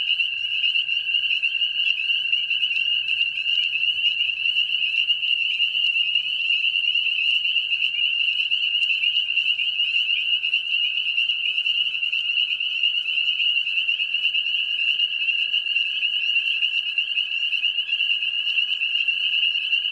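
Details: A dense mating-season chorus of spring peepers, high piping peeps merging into a continuous shrill ringing.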